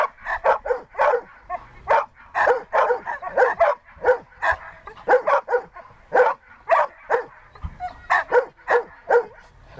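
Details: Siberian Husky Dexter barking insistently during search and rescue training, short harsh barks repeated rapidly, sometimes in doubled pairs, across ten seconds.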